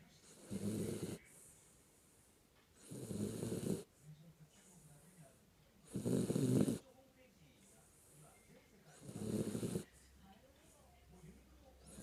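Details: Sleeping Jack Russell Terrier named Kinako snoring steadily. Four coarse, rumbling snores come roughly every two and a half seconds, with soft hush in the pauses.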